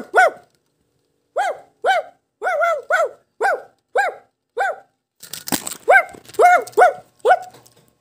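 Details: A Shih Tzu gives a run of sharp, ringing yaps, about two per second, some in doubled pairs. Hichang, another dog, shares the home. A brief clatter of noise interrupts before the barking resumes.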